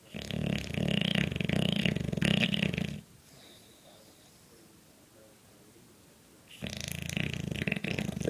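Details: Four-year-old English Bulldog snoring in its sleep: a loud three-second stretch of rattling, fluttering snores, a quiet pause of soft breathing, then the rough snoring resumes.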